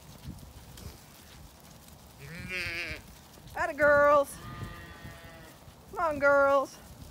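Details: Zwartbles ewes on a regenerative farm in County Kilkenny, Ireland, being moved into a sheltered orchard while the sun shines; several wavering harmonic bleats, three main calls, with a woman calling the flock.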